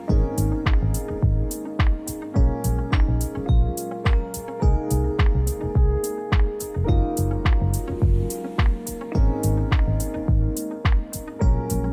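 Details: Upbeat instrumental music with a regular beat, guitar-like plucks and synth tones throughout; no animal sounds.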